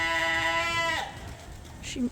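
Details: On a snowy sheep farm, a sheep gives one long, wavering bleat lasting about a second, rich in harmonics, followed by a brief softer bleat from another animal.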